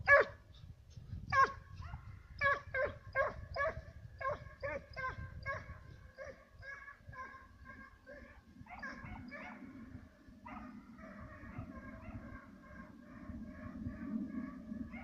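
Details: Two Serbian Hounds bay while trailing fox and roe deer, their sharp repeated barks giving way to drawn-out, ringing cries.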